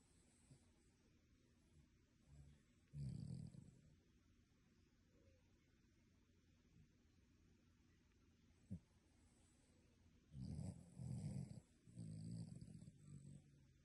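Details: Human-sounding snores from a sleeping dog: scattered low rasping snores with long quiet stretches, a sharp click midway, then a run of three throaty snore bursts near the end.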